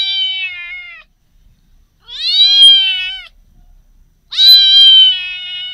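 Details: Cat giving three long, drawn-out, level meows, each lasting about a second, with clean silence between them and no other sounds.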